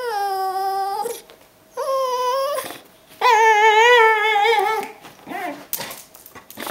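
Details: Brittany Spaniel named Lucy greeting her owner at the door on coming home indoors: long tonal whines with rich harmonics, wavering and rising, in three drawn-out bursts separated by short pauses, then softer whimpers.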